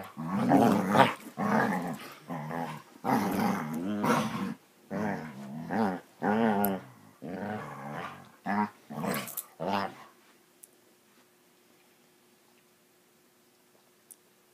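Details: Basset Hounds at play give a series of rumbling, harmonic growls, short bursts repeated for about ten seconds, after which the room falls quiet apart from a faint steady hum.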